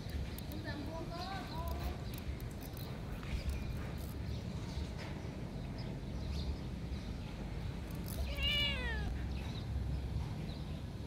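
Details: Domestic cat around feeding time: two short, rising-then-falling nasal meows about seven seconds apart, the second louder and sharper, over a steady low rumble of background noise with faint voices.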